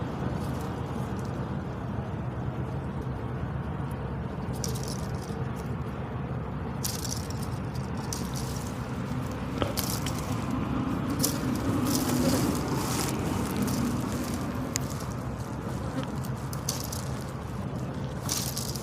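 A buffalo makes dry, rattling percussive sounds with its ears, over a steady low rumble.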